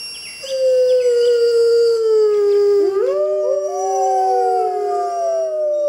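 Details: A long, slowly falling wolf howl, joined midway by a second voice that rises and bends upward, the two tones overlapping to the end.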